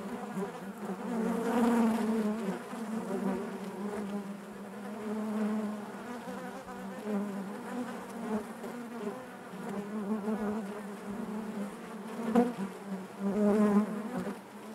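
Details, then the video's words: Bees humming inside their hive: a steady, low, droning buzz with a rich stack of overtones. It swells and fades in gentle waves, with louder surges near the second and the thirteenth seconds. No other sounds. "bees therapy hive natural buzzing sound"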